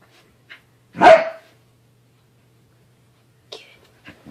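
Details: Corgi dog at home; one sharp, loud bark, then quiet with soft faint sounds afterward.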